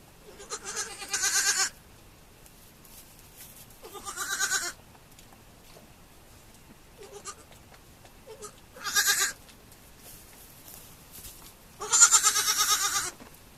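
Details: Baby goats on a farm bleating repeatedly: four loud quavering bleats, each about a second long, spaced a few seconds apart, with a couple of softer short bleats between them.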